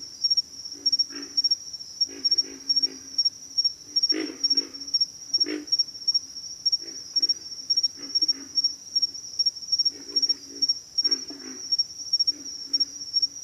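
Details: Several low, guttural pig frog grunts come in clustered bursts, some louder and nearer, over a continuous high-pitched insect buzz.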